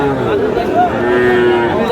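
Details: Cattle at the Aftabganj cattle market in Dinajpur district, Bangladesh, where small bull and heifer calves are traded; one sustained, steady low moo fills the whole two seconds, rich in harmonics, over faint market background.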